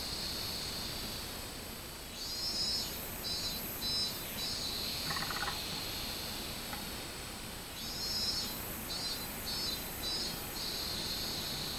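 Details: A robust cicada (Minmin-zemi) sings on 24 July 2016 in bursts of shrill, pulsing notes, a repeated meen-meen-meen over a steady insect hum.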